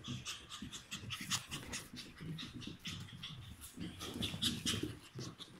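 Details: Cream male Chihuahua puppy born 30 April 2018, awaiting a new owner, panting in quick, steady breathy bursts with faint squeaky whimpers and soft low thumps of movement.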